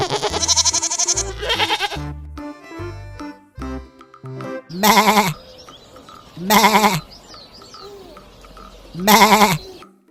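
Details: Goat in a funny farm animal compilation giving three loud, wavering bleats roughly two seconds apart in the second half, over constant background music with piano-like notes.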